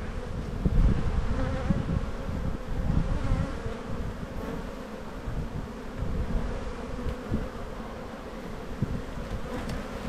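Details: Honey bees at an open black hive during a spring buildup inspection in the bee yard, 7-9-22, in the evening: a steady low droning hum with a faint tonal band, rough crackling handling noise throughout, no voices.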